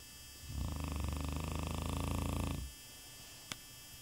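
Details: Sleeping Shar Pei, a contented dog snoring indoors: a single two-second rattling snore made of rapid low pulses, like a coarse purr, followed by quiet and one sharp click.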